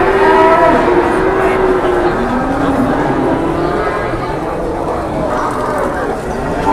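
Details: Cattle at a busy cattle market during trading; a low, drawn-out harmonic moo sounds in the first two seconds, with further faint lowing later, all beneath dense crowd chatter and steady market din.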